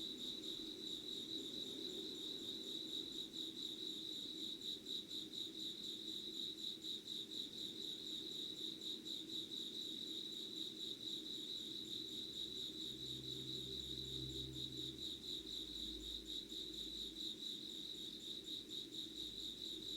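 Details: Summer insect voices in Yugawara, Kanagawa, Japan, recorded at dawn, 5:00 on 25 August 2019; continuous shrill trilling chirps form a dense chorus over faint low humming, with a brief low rumble midway.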